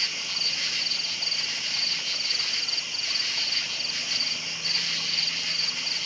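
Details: Nighttime crickets chirping in brief high-pitched bursts roughly every half second above a continuous insect drone, with a faint low hum running underneath.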